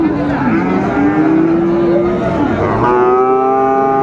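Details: A cross-breed bull calf of about four months at Ranigonj cattle market, Dinajpur, Bangladesh, 28 November 2024. Long, steady, tonal moos, one sliding slightly upward, are heard against a busy market hum of voices.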